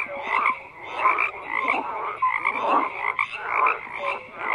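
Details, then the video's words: A dense frog chorus of overlapping croaks and short clicking notes, with brief tonal pips mixed in, pulsing in loose waves without pause. "FROGS CROAKING"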